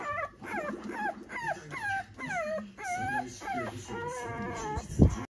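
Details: Toy Poodle puppy growing up at a breeder in Japan, giving a series of high, drawn-out whines and whimpers that slide downward, about one every half second, ending with a short thump.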